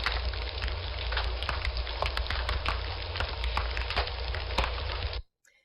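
Steady crackling hiss with sharp pops and a low rumble, like fire or rain, then silence.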